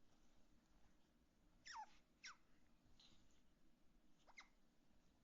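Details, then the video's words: Otter Fuku, wanting to play with daddy and not share his toys, gives short high squeaks sweeping downward, about four over five seconds, against a quiet indoor background. "Otter Fuku makes funny noise when he wants to play with daddy😂 and doesn't want to share his toys"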